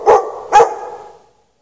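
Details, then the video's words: Two sharp barks about half a second apart come from a dog left chained in the snow on a March night, 3/3/14, without shelter, the second bark fading into silence. "Dog barking chained out in the snow"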